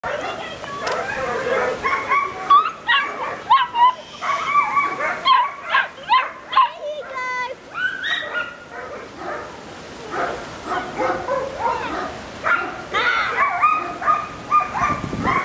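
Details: Hungarian Vizsla puppies born on 6th October, a litter producing a busy jumble of high whines, squeaks and short yips, overlapping and uneven, with brief quieter gaps and soft handling noises.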